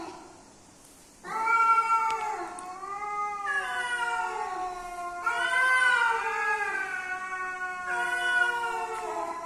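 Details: Mating calls of a male and female cat meeting: after a quiet opening second, a continuous loud yowling begins, long harmonic wails that bend slowly up and down and run almost unbroken to the end.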